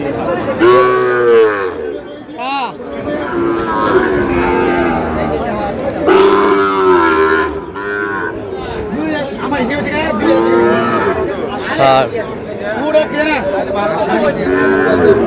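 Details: Sahiwal cattle trading at a Khulna market in Bangladesh, with a bull calf bought by a farmer: several cattle moo over and over, overlapping, wavering calls that rise and fall, mixed with the steady chatter of people bargaining.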